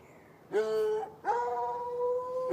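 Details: On a Saturday night, two hounds, one white and one dark, are chained in bushes by a red outbuilding next to an irrigation ditch, heard from about 10 yards. A short mournful bay is followed by a long, steady, held one.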